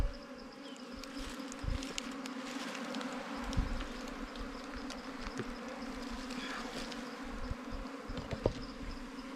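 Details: A wild bee colony stirred up while hunters open the nest for honey. An even, buzzing drone with a faint higher overtone runs the whole time, with scattered clicks and taps from handling.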